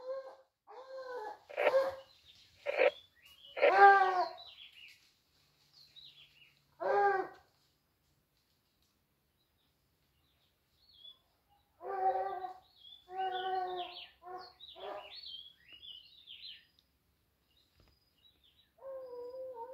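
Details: Several dogs driving out a wild boar give bursts of yelping, harmonic barks in irregular clusters, a loud volley early on, a quiet gap of several seconds, then more rapid barking that trails off.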